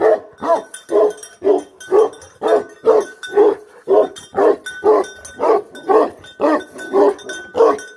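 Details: Bhote Kukur guardian dog barking in a steady run of deep, hoarse barks, about two per second for eight seconds, with a faint clinking, ringing tone in the background.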